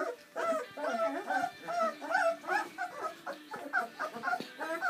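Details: Seven Bernese Mountain Dog puppies, born on Valentine's Day 2013, having their first feed on Mothering Sunday. A dense chorus of overlapping high whines and squeaky whimpers runs on without pause.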